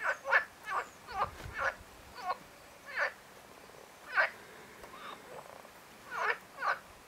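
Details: Marsh frog (Pelophylax ridibundus) calling: a series of about eleven short, rattling, pulsed bursts at irregular intervals of roughly half a second to a second, some doubled, over a low steady background hiss.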